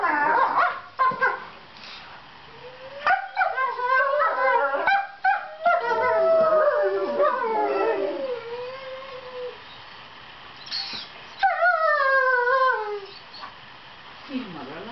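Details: Fight-play between borzoi puppies Velikij Pravda and Velikij Petrova, seven months old, whose sweet noises reassure each other that ugly faces are not serious; sharp yips and barks, then long wavering howls sliding downward, a pause, and a final howling burst.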